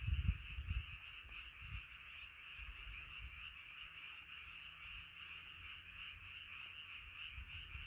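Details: Frog chorus at night, a dense continuous trilling band of many overlapping callers, with low rumbling thumps in the opening second, probably wind or handling, and softer low-frequency noise throughout.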